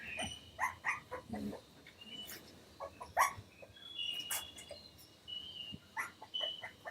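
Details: Three-week-old toy cavoodle (cavapoo) puppies in a nursery, described as making little barks and growls; short high-pitched yips and squeaks come in scattered bursts from several pups, some thin whistled whines between them.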